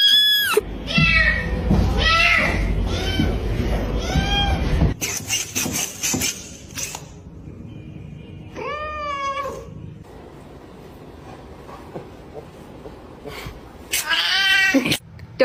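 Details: Unhappy pet cat crying, several harmonic meows: wavering wails in the first seconds, a drawn-out rising-falling meow near the middle and another near the end, with a woman's voice, music and handling noises between calls.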